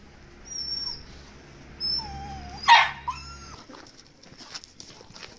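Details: Golden Retriever puppy at play: a thin, slightly falling whine, then one sharp yip burst, followed by a short rising whine and a quiet scuffle.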